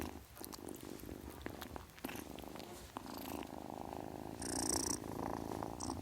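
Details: Low, even purring from a kitten runs through the whole clip, joined near the end by a short, bright, airy burst of noise like a hiss.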